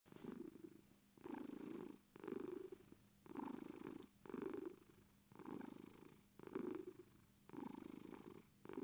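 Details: British Shorthair cat purring indoors, a steady rumbling purr in alternating long inhale and exhale phrases, roughly one per second, each about half to one second long, with a low hum running underneath.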